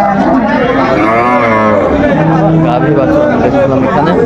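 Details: Cow with calf at Aftabganj cattle market, Dinajpur, Bangladesh, June 2025: a low moo sliding up then down, followed by a steady lower tone, under constant crowd noise and talking.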